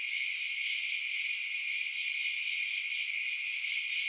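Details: Crickets chirping at night, a dense, steady high-pitched trill of many insects forming one continuous shimmering band with no low sounds beneath.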